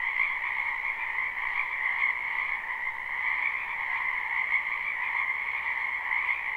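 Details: Croaking of many frogs in a spring wetland, recorded live: a steady wall of overlapping trills, strongest in a high band with a second lower band, level and continuous with gentle fluctuations.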